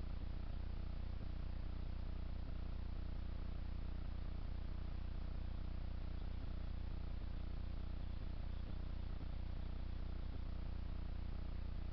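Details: A steady low rumbling hum fills the whole recording, constant and even, with no animal calls standing out.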